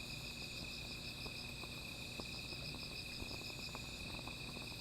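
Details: Insects calling at night beside a small fire: steady high ringing bands, one pulsing rapidly in a shimmering trill, hold throughout while scattered crackles and pops from the fire sound underneath.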